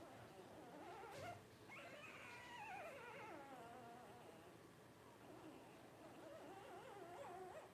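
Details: Twelve-day-old Blenheim Cavalier King Charles Spaniel puppies from a litter of five born to Paris and Spike at New Year 2023, giving a long wavering whine that sweeps downward, followed by softer, lower warbling whimpers.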